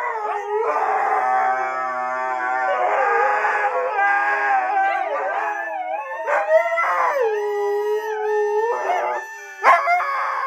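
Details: Siberian Husky giving a sustained, quavering howl that bends and dips in pitch, broken into several drawn-out phrases with brief rough, yodelling breaks between them.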